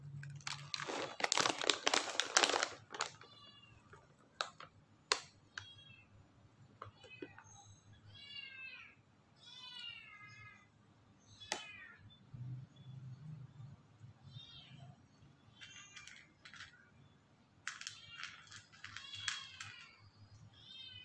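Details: White cat meowing while eating, giving a string of short, bright meows with wavering pitch, some rising then falling, spaced a second or two apart, with crinkling and rustling noises loud at the start and soft clicks throughout.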